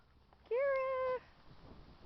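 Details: Pet dog prompted by its owner to say hello, answering with one drawn-out, steady, tonal cry lasting under a second, clear and level in pitch in a quiet room.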